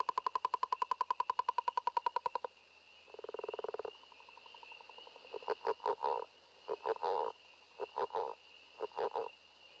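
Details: A distant Northern Leopard Frog gives a rapid rattling snore, like a growling leopard, then soft grunting chuckles like a little laugh, with other sounds audible behind it.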